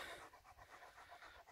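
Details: Major, a German Shepherd, panting quickly in the heat, around 30 degrees in the shade, after skipping dinner; short airy breaths repeated several times a second in an even rhythm.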